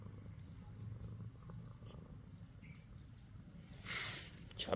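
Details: Male pet cat purring, relaxed in full chill mode during a gentle massage after lunch; a soft, steady low rumble runs throughout, with a brief noisy rustling burst near the end.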